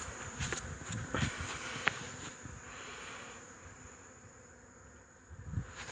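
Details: Honey bees buzz on 8 March 2015. The hum swells and fades, with sharp passing buzzes around the first two seconds, a quieter stretch, then louder buzzing again at the end.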